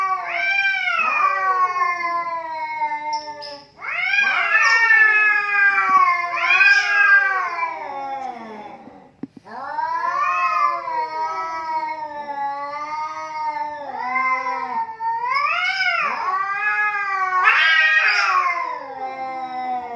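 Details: Two cats quarrelling in a heated standoff: long, wavering harmonic yowls that rise and fall, overlapping as the two voices trade drawn-out wails, with a brief pause near the middle before the howling resumes.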